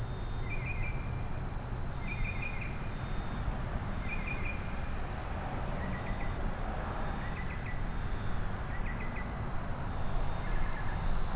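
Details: Crickets calling at night hold a constant shrill trill, broken once by a brief gap, while quieter short triple-pulsed chirps repeat about every second beneath it; the tone swells slightly toward the end.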